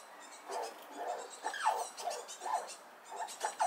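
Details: Small red squirrel squeaking loudly while defending itself at a nut feeding spot as another squirrel approaches; a run of short, shrill, slightly downslurred squeaks, roughly two per second, with faint hiss behind.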